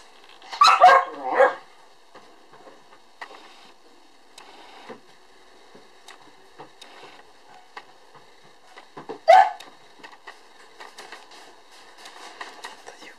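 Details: Cream-coloured female puppy, born October 1 and filmed December 2, gives a few high, sharp yipping barks indoors, two close together at the start and one more near the end, with quiet shuffling and tapping sounds between.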